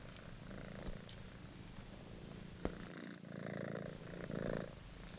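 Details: Monty, a British Shorthair kitten, purrs as he plays with his rediscovered favourite toy; low continuous purr with pulsing bands, one sharp click midway and brief louder rustling near the end.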